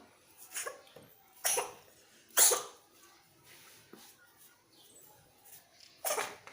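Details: Pregnant cats sneezing: four abrupt, hissing bursts at irregular intervals, the loudest in the middle, separated by quiet stretches with faint rustling.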